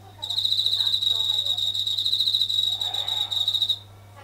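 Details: Japanese katydid calling at night from near a kitchen ceiling indoors; a high, dense buzzing trill of rapid pulses lasting about three and a half seconds, with a low electrical hum and faint kitchen noises beneath.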